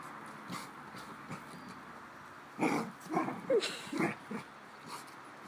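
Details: Dog at play giving funny noises: after quiet breathing, a run of short grumbly yelps and squeaky, bending whines, several in quick succession, then fading to soft snorts; faint steady background hum.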